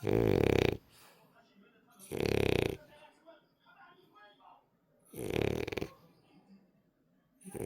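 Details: Sleeping French Bulldog, a rescue dog, snoring in a small room: loud, harsh, rattling snores lasting under a second, recurring every two to three seconds, with soft murmuring voices in the pauses.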